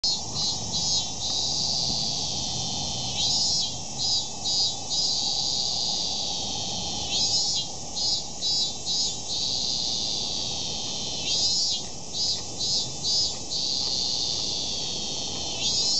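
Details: Cicadas at Meiji Temple, Tokyo, Japan, sing a shrill, continuous buzzing drone, swelling into louder pulsing phrases every few seconds.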